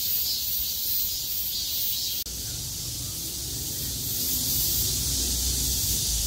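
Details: After heavy rain stopped on 6 August 2020, surviving cicadas sing loudly together: an unbroken high shimmering drone, briefly cut by a click near two seconds, with a low hum underneath afterwards.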